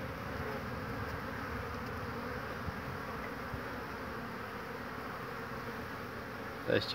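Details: Spring hum of honey bees crowding an old wooden-built hive, 22 March 2019. The buzzing drones on unbroken at an even level, and a brief louder sound comes right at the close.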